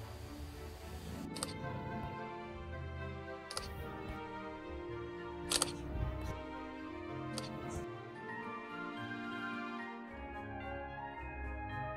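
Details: Background music plays throughout, broken by sharp camera shutter clicks, with no animal voice heard.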